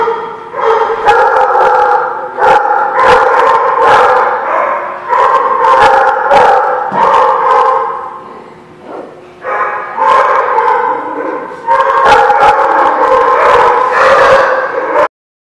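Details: Many dogs barking together at The Barking Lot on 26 February 2016, a busy overlapping din of barks and yips that dips briefly near the ten-second mark before resuming, then cuts off abruptly.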